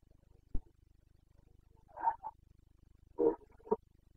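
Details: Carpathian red deer stag in the Bucovina mountains of Romania, rutting season (boncănit), 29 September 2022: a few short, hoarse roaring grunts in bursts about a second apart over a steady low background hum.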